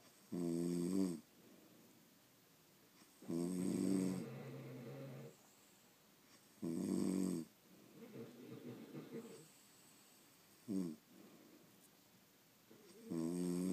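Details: French Bulldogs snoring while asleep indoors, steady cycle of loud rattling inhales and gentler wheezing, gurgling exhales, one brief snort near the end, about twenty breaths a minute.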